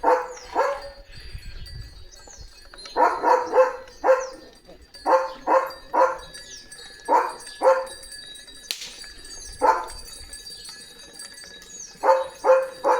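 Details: Leo, a German Shepherd, barking at home on Diwali morning in a courtyard decorated with rangoli and lanterns; loud, hoarse barks come in clusters of two to four with short pauses, over thin high chirps and a faint steady tone.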